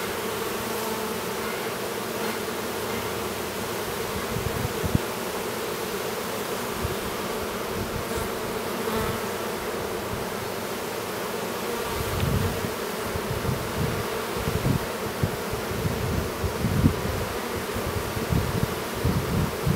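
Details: Bees in an apiary near Duluth, Minnesota, as a drone honey bee chomps at the cap of his cell: a constant low buzzing drone with scattered soft thumps and rustles growing busier in the second half.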